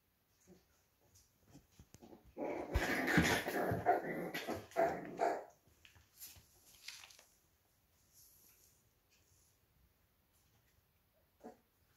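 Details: One-month-old Pembroke Welsh Corgi puppies give a dense, harmonic burst of squealing, growly yelps lasting about three seconds, followed by quieter scattered small noises and near silence.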